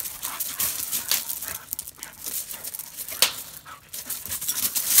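A Bull Terrier gives sharp, scattered barks over a hissy, noisy background.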